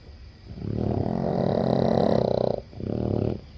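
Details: Boston Terriers, seven dogs, snoring in their sleep: a long, throaty, rattling breath lasting about two seconds, followed by a shorter, similar snore.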